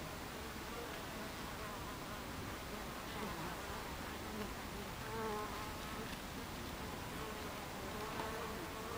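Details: Continuous buzz of honey bees at the hive entrance on a July 2013 afternoon, thick layered humming with single bees swelling past in short rising and falling tones.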